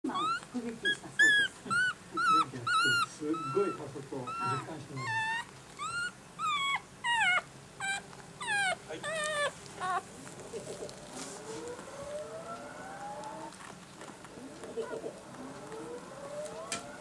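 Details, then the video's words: Newborn miniature dachshund puppies giving a run of high, whining squeals, each rising then falling, repeated about twice a second for ten seconds, then fainter rising whimpers with a quiet background. "ミニチュアダックス 生まれたての赤ちゃん puppy"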